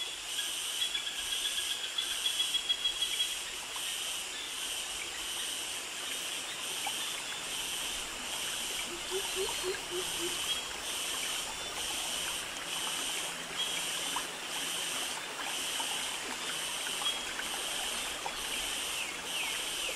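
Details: High, hissing cicada and cricket chorus in tropical forest of Krabi, Thailand, pulsing steadily in fast regular beats, with a brief low chirping series and faint scattered clicks beneath.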